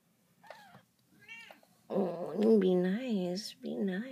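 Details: Domestic cat family indoors: Codie and her two-week-old kittens, whose eyes have just opened, kept in a closet. Brief high thin mews come first, then a long loud wavering meow that rises and falls several times, with a woman speaking softly.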